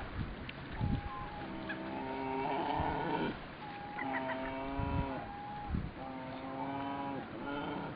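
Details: Brown bear cub begging for its share of the day's catch: drawn-out, wavering moaning wails, about four in eight seconds, some rising then sagging, over low grunts and rough rumbling background noise.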